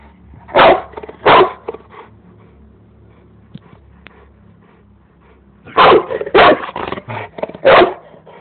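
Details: Bandog Mastiff that still dislikes the lawn mower barks in two loud, deep pairs, then after a quiet pause a rapid run of four or five heavy barks with lighter huffs between them.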